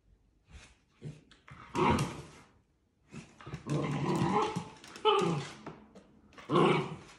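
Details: Playful Dachshund puppies outside, a run of short yapping barks and whiny yips in irregular bursts, some overlapping, with human voices mixed in.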